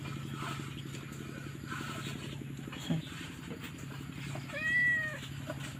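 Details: Stray baby kitten crying: a single arched, nasal meow lasting about half a second near the end, rising then falling, over a steady low hum and faint background clatter.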